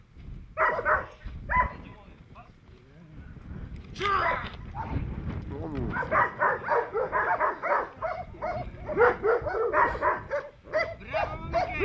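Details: Presa Canario protection training: a few barks, a brief lull with a shout, then a long fast series of loud, harsh barks building toward the end, human voices underneath.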